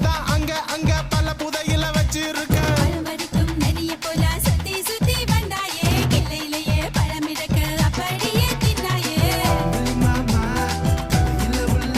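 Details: Bollywood-style song with singing, steady rhythmic percussion and dense instrumental backing throughout, with no animal heard.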